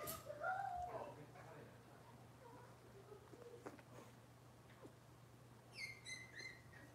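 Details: Cavalier King Charles Spaniel puppies of Robin's litter, filmed indoors on a kitchen livestream camera: thin high whining squeaks at the start, a quiet patch, then a burst of shrill rising squeals near the end over a steady electrical hum.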